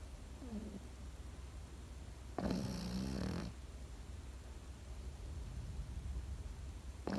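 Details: Pekingese dog asleep, giving one strong, buzzy snore lasting about a second, framed by faint, short snuffles before and a new snore starting at the end, over a low, steady room hum.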